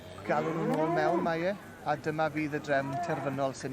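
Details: Senior Hereford bull at a show, giving one drawn-out lowing moo that rises and then falls over about a second, followed by short voiced sounds and people talking nearby.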